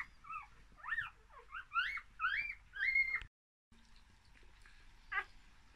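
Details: One-day-old English Cocker Spaniel puppies from a summer 2019 litter of four (two males, two females) in Fife, Scotland, give thin, high squeals that bend up and down in quick succession.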